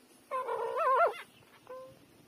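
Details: Three-day-old newborn puppy nursing from its mother: one loud, wavering whine lasting under a second, bending up and down, then after a short pause a thinner, steady whimper fading away.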